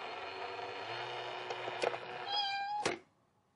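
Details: A cat near a cat box gives a drawn-out harmonic meow ending in a brief higher note, with sharp knocks and a steady hum indoors.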